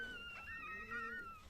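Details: First whelping of a one-and-a-half-year-old Chihuahua, indoors; a single drawn-out, high whining tone holds fairly level with slight wavers and a faint fading end.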